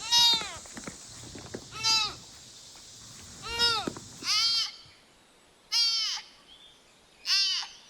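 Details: Deer at night gives six high, nasal, sheep-like bleats, each under a second and falling in pitch, spaced about every one and a half seconds, with faint background hiss.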